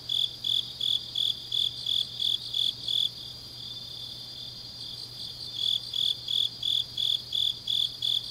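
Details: Grass insects chirping on an autumn night in Changnyeong, Korea; rhythmic high pulses stop for about two seconds midway while a continuous high trill carries on, then the chirping returns at the same pace.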